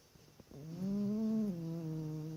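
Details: Dog asleep and snoring, one steady droning breath that swells slightly in pitch then settles, low and buzzy, over soft indoor background hiss.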